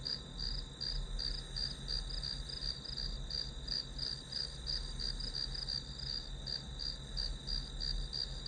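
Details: Grass insects calling through an hour of study background noise: a steady high chirping near the top of the range, pulsing in quick regular beats about three per second, over a low constant hum.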